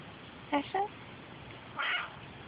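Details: Ash, a male Australian grey tabby cat known as his street's biggest bully, turns affectionate while his owner's car is being cleaned. He gives two short meows close together, then a longer, brighter meow after a pause, over steady background hiss.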